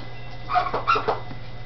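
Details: Dachshund puppies, Campinas, São Paulo, happy in their new little house: three close, sharp yelps bunched within half a second, then quiet, with a constant low hum in the background.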